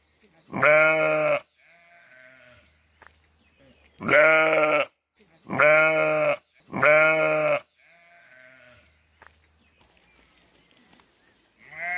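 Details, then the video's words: Sheep bleating: four loud, quavering, strongly harmonic bleats of about a second each, spaced a few seconds apart, with softer distant bleats in the gaps and another starting at the end. "Sonido de la oveja . Ovejas balando"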